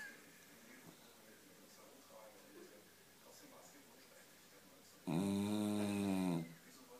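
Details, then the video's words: Nine-year-old Beagle Kira snores once, a deep buzzing rasp about one and a half seconds long. It follows several seconds of quiet room sound. "Beagle Kira 9 Jahre schnarcht"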